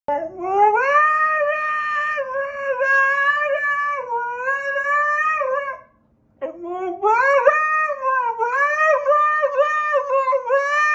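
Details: Dog howling indoors in a small room: two long, wavering, tonal howls with rich harmonics, the first rising then sustained for about five seconds, a brief silence, then a second bending, warbling howl lasting nearly five seconds.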